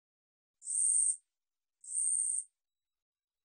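A katydid sings in high, dry buzzing bursts, each about half a second, repeated every second or so.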